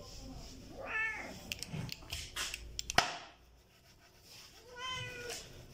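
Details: Stray kittens, hungry and eating food, give two plaintive meows about four seconds apart, with clattering clicks and a loud knock between them.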